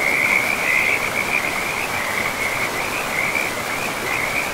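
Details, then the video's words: A strong, unbroken high trill from frogs near a river in a pristine, moss-covered forest carries through the whole stretch, pulsing slightly in loudness, with rushing river water beneath it. "River and Frogs sleep sounds"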